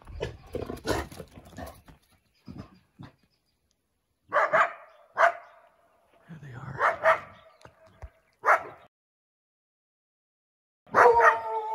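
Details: Coyotes hunting in the morning: sharp harmonic barks and yips in short bursts around four to five, seven, eight and eleven seconds, after a stretch of rustling and scattered noise.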